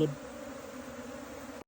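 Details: Rescued Asian honey bees from a canal colony produce a continuous low buzzing drone, even and unbroken, after a brief louder sound at the start, ending abruptly.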